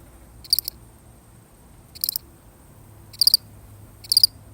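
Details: Solitary cricket, real recording: four high, buzzy pulsed chirps with uneven gaps, the last two closer together, over a faint low background drone.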